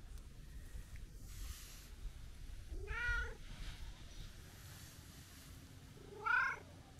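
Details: Talkative brown-and-white tabby street cat greeted on a New Year visit, giving two harmonic meows about three seconds apart, the second louder and rising then falling, over low background rumble.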